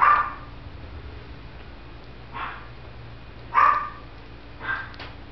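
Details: Male Shih Tzu puppy, born in November 2011, at a kennel: four short, high yipping barks spaced about a second apart, with faint background hum between them.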